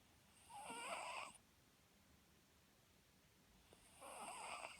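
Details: Sleeping Papillon dog, the pet whose loud snoring sent its new owner to the vet for a clean check. Two buzzy, wheezing snores with whistled overtones open and close the clip, separated by near-silent breathing.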